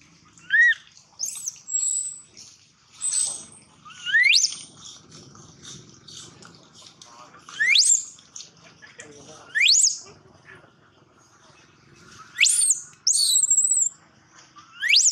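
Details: Baby monkey crying loudly, separate upswept squealing cries every one to two seconds, some long and piercing, with faint low rustling and background noise between them.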